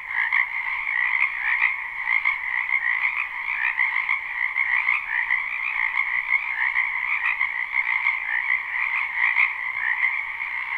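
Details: A spring wetland full of frogs, recorded live: unbroken massed croaking forms a steady, shimmering wall of trills, many callers overlapping with small pulses of loudness but no pauses.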